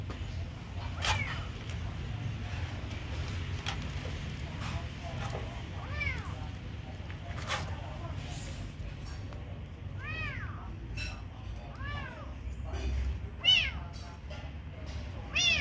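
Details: A kitten at feeding time calls with a series of high, bent meows that come closer together toward the end, mixed with clicks, taps and low background noise.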